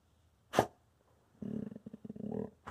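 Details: Indoors, the Wolamute Peaches guards her two treats and refuses to share. A sudden sneeze-like snort comes first, then a rapid pulsed grumbling whine that rises and falls for about a second before another burst.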